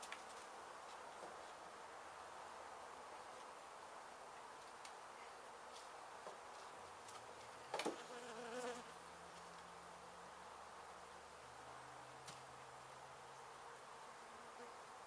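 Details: Honey bees in Mission, Texas, buzzing as their hive is removed from an abandoned home being demolished, while comb is handled and held in place. A sustained massed drone, with low tonal hums drifting in and out and a loud knock around eight seconds.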